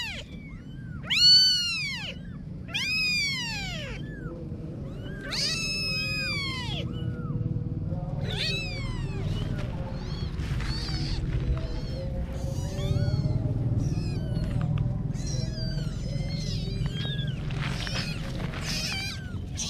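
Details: Clear, high kitten meows open the stretch, arching up and down, then give way to many faint, overlapping little cries and rustling over a louder low rumble.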